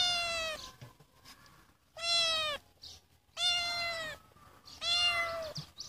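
A Siamese cat gives four loud, drawn-out meows with a steady, rich tone, spaced about a second apart.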